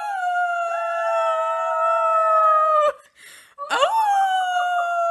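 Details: Singing Siberian Husky holds a level, sustained howl for about three seconds. After a short break with faint noise, it returns with an upward-swooping yelp that settles into another long, slowly falling howl.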